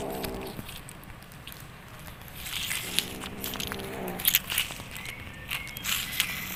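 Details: A kitten making strange sounds while playing: low, harmonic, buzzy calls of about a second each, one at the start and another near the middle, with rustling, clicks and faint high chirps in the background.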